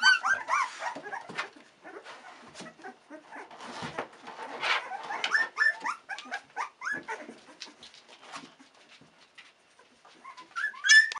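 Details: Sixteen-day-old Australian Cattle Dog puppies from Bluebelle's litter, discovering their world, whine in soft, irregular whimpers that rise and fall. The cries overlap amid faint rustling, and a louder squeal burst comes near the end.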